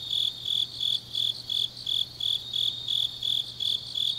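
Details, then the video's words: Changnyeong grass insects calling on a deep autumn night: a bright, high chirp repeated roughly three times a second, backed by an unbroken higher-pitched trill and a low faint hum. "깊은밤 가을 풀벌레 소리"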